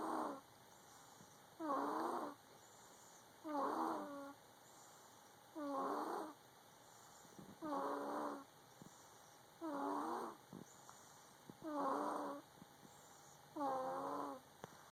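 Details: Snoring cat suffering from a cold, breathing in steady raspy bursts about every two seconds, eight in all, each with wheezy harmonic tones, while a low constant hum runs underneath.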